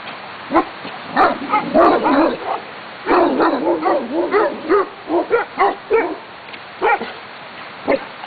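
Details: Blue Great Danes at Holley, Oregon, by the Calapooia River: deep, gruff barks in quick uneven bursts, clustered densely, then spaced out singly toward the end, with brief pauses between runs.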